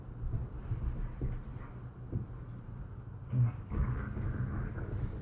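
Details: Borzoi and collie puppy playing tug together: low rumbling growls and soft whimpering noises during the tug game, with scuffling throughout and a few sharper vocal bursts near the middle and end.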